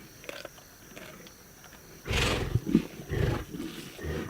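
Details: Lions eating a zebra carcass: after two seconds of quiet, a loud, harsh roaring snarl breaks out, followed by several shorter rasping growls in quick succession.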